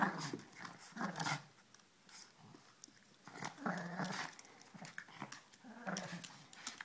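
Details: Two puppies, Ella and Duke, playing together, giving low rough growls and grumbles in bursts of about a second, with short quieter gaps and scuffling between the outbursts.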